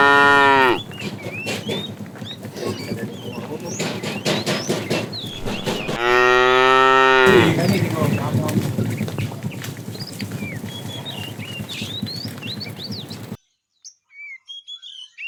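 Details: Fat cow among a herd of tame cows being herded in the afternoon, calling the female: two long, deep, harmonic moos, one at the start and one in the middle, over steady rattling and clicking background noise, then near silence.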